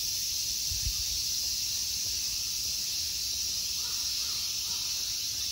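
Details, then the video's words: Summer insect chorus in the temple grounds of Ikegami Honmonji, Tokyo, Japan, a steady high sizzling drone without pause; near the end, three faint cawing notes from a crow sit underneath. "Summer insect sounds."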